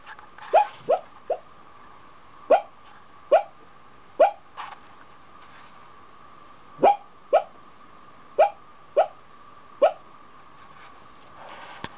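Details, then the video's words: Pet dog barking in his sleep at night, curled up fast asleep at the foot of a bed in the mountains; short muffled woofs, singly or in pairs, about ten over twelve seconds, over a steady electrical hum. "nighttime sleep-barking"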